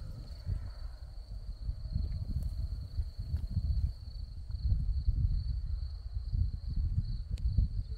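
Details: Crickets among scarlet poppies in Crimea, giving a steady, high, unbroken trill that runs through the whole stretch, set against a heavy low rumble of wind.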